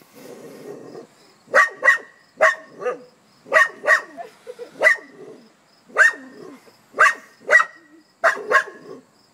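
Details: Dog barking at a hedgehog, giving sharp barks mostly in pairs roughly every half second to second, with brief quiet gaps and some low rustling between them.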